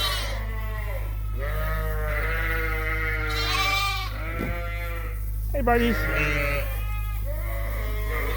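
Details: Suffolk lambs mixed together in a barn, long drawn-out bleats overlapping amid loud low rumble and barn noise.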